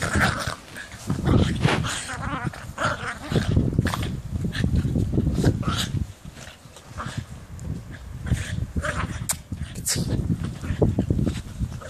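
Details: Two 7-month-old dogs, Tony and Teddy, romping in snow for the first time; low, rough growls and snuffling come in uneven bursts, with human voices talking over and between them.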